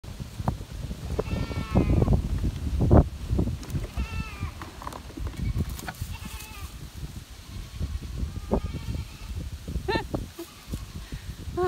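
A fainting goat bleats several times, with wavering nasal cries over low rumbling and handling noise.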